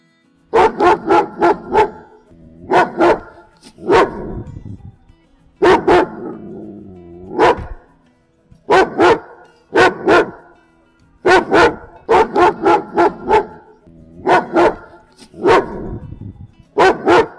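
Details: German Shepherd dog barking: sharp, loud barks in quick bursts of two to four, separated by short pauses and softer whining or growling between groups, continuing steadily throughout.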